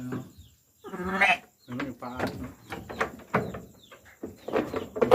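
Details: Sheep at lambing time giving one loud, quavering bleat, followed by overlapping human speech and handling noises.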